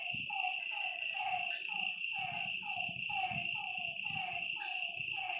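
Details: Night frog chorus at a lakeside, with clusters of falling croaks roughly every half second and a constant shrill insect hum overhead. A soft low murmur sits underneath.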